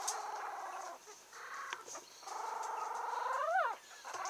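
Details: Female Yorkshire Terrier puppy, 17 days old, steel blue and tan, from a breeder in Kochi, Japan, giving drawn-out nasal whines in bursts, the last rising then sharply falling, with short pauses between.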